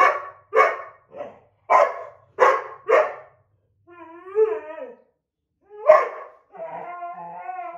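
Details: White Boxer and black Lab mix quarrelling over a window seat at home; a rapid series of sharp barks followed by drawn-out, wavering whining moans, one more bark, then another long whine.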